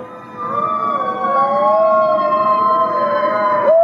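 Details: Gray wolves at the Wolf Conservation Center, South Salem, New York, in a group chorus of wavering, interweaving howls at several pitches, one voice bending and sliding before breaking upward at the end.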